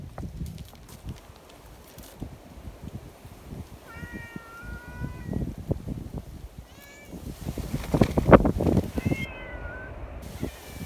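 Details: Mountain community cats being fed promptly after a typhoon, calling with drawn-out, wavering meows about every three seconds from the midpoint on, against heavy low rustling, footsteps and handling noise.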